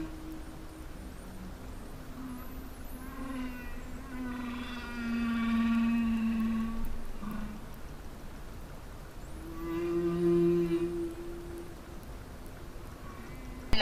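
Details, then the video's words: Humpback whale singing beneath the sea off Peru; its song is thought to be male communication with other males and females. A long sequence of low, drawn-out moans and harmonic-rich wailing phrases, rising and falling, with occasional higher squeaks. "La ballena está cantando debajo del agua."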